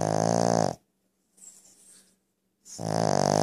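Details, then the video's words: Loud snoring from a pet Brussels Griffon: two strong buzzing, rattling snores rich in harmonics bracket a soft, airy exhale, each snore lasting under a second. "my Brussels Griffon snoring LOL"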